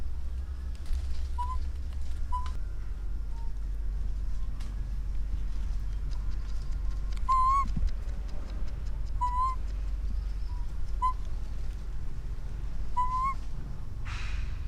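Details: An orphan infant monkey cries for its mother with a series of brief, rising whistled squeaks, some faint and some stronger, spaced one to two seconds apart against constant low hum.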